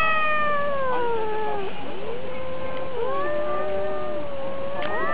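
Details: Cats squaring off in a fight, two voices yowling at once in long, sliding, moaning tones that cross each other, one dipping low while the other climbs.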